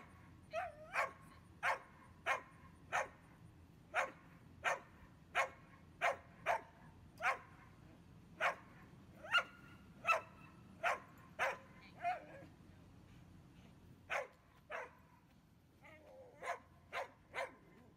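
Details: A five-year-old dog-reactive German Pinscher during training, giving a steady series of short, sharp barks roughly every half second to second, some with a whining, yelping edge, a brief pause near the end, then more barks.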